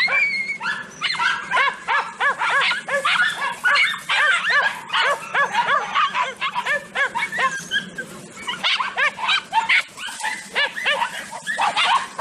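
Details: Pack of Podenco Andaluz hounds closing on a rabbit during a hunt: rapid, ringing, strongly tonal yelping barks from several dogs, repeated almost continuously and overlapping, with brief pauses.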